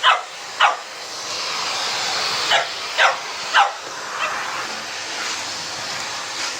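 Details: Puppy Sammie, 10 weeks old, facing a vacuum cleaner for the first time, with Boxer Rex nearby. High, short yaps come quickly, two at the start and then three close together, over a steady vacuum-cleaner drone.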